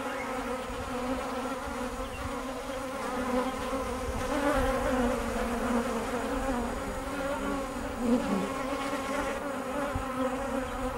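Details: Kept bees giving a dense, continuous hum, low and harmonic-rich, rising a little in loudness midway, with slight pitch wobbles.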